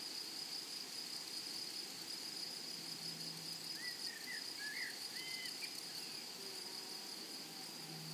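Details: Grasshoppers in a blooming prairie meadow sustain a bright, high, constant drone. Several quick, curved bird chirps come in a short burst between four and six seconds.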